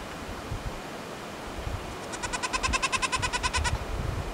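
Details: Young Himalayan brown goral calling: a rapid stuttering train of about fifteen short, harmonic-rich pulses packed into under two seconds, with quiet low rumble in the background.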